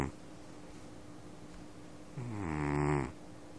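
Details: Domestic cat asleep and snoring indoors on a phone recording: after a quiet stretch, one loud, low, rasping snore lasting about a second over a steady background hum.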